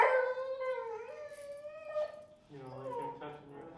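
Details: Feral dog Finnegan, very vocal during a Chicago training class introducing the e-collar, gives a sustained tonal whine that slides slowly downward, then a shorter lower moan-like note near the end; the room is otherwise quiet.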